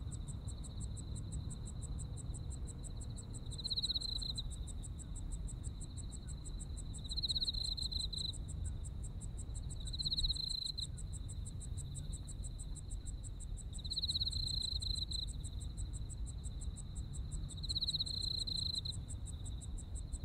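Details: Insects singing on an autumn night in Japan, a continuous shrill trill broken by brighter pulsed swells roughly every three to four seconds, over rapid high ticking and a constant low rumble.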